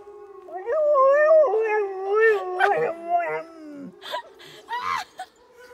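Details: Pet dog at a zoo in Neuruppin, Brandenburg, Germany, on 28 July 2022, trying to answer howling wolves but missing their tone: a wavering, strained howl of about three seconds, over a steady lower howl, then short yips and breaths.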